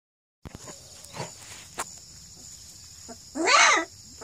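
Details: Purebred Redbone Coonhound pups, 2.5 weeks old, near Kingston, Ontario, Canada, barking and growling; after near silence with a few faint clicks, one loud arched, harmonic squeal rises and falls for about half a second, over a steady high hum.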